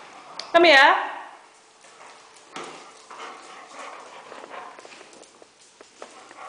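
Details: Pet Weimaraner indoors, pestering a Hungarian vizsla; one loud, harmonic-rich bark or yelp near the start, falling in pitch, then quieter scuffling, scratching and shuffling noises in a small room.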